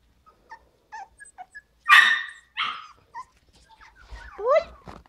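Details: Havanese litter at five weeks: soft little squeaks lead into two loud, rough barks close together, then a short yelp and a run of high, rising whiny yips near the end.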